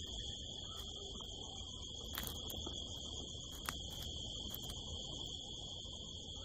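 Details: Crickets at night in the California desert hills under a harvest moon, heard from a rooftop: a steady, high continuous trill with an upper overtone, broken by a few faint clicks and ticks.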